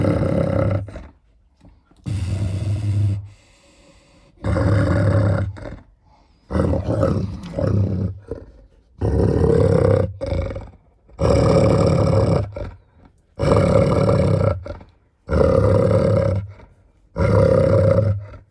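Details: Food-aggressive growling from German Shepherd Nika, a six-year-old female in estrus, eating bones alongside Malinois Linda at home: loud, harsh, throaty snarl bursts of about a second each, repeating roughly every two seconds, with brief pauses between.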